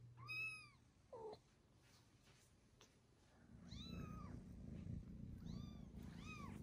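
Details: Newborn kittens mewing indoors: high, thin arched calls with stacked harmonics, a few spaced cries across the stretch, with a low steady rumble underneath.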